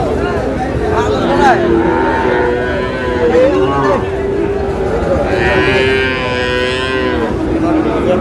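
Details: Sahiwal bull calves at a cattle market in Chattogram, Bangladesh, bought by a farmer: several drawn-out, wavering moos, some bending up and down in pitch, over steady crowd murmur and men haggling over prices.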